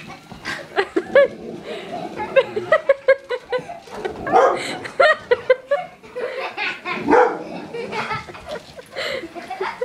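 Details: Xena, a pet dog, reacts indoors to a vacuum cleaner, scared though her tail is wagging: short sharp barks burst out repeatedly over about ten seconds, mixed with excited human voices, laughter and a little music.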